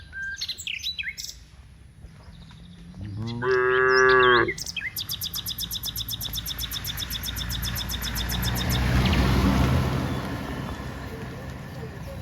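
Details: Cows walking from the rice fields to the village; one loud harmonic moo lasting over a second, followed by rapid insect-like rhythmic clicking, with bird chirps and a rising rumble behind.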